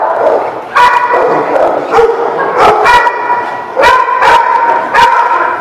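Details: Several dogs bark on March 26, 2018, sharp woofs and higher yips in bursts, with short whining tones between barks and an almost unbroken chorus of overlapping voices.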